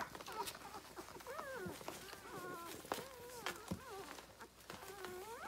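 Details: Six-day-old Rhodesian Ridgeback puppies nursing on their mother, litter born 9/3/2020, give a steady run of high, squeaky whines that bend up and down in pitch, over a bed of wet suckling clicks and shuffling.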